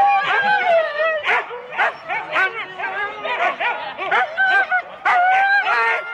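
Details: Rendlesham, January 2016: Husky teams of four dogs at the start, recorded on analogue tape. Sharp, excited yelps and barks come in quick bursts over sliding whines, with many dogs calling at once.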